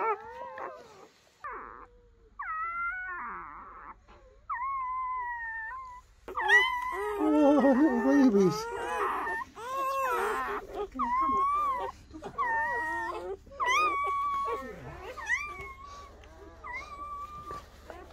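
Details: German Shepherd puppies newly born to Betty during her night of labour: short, high, steady whining notes repeated about once a second, then a stretch of busy, overlapping squeals and wavering cries from several pups, a low hum beneath.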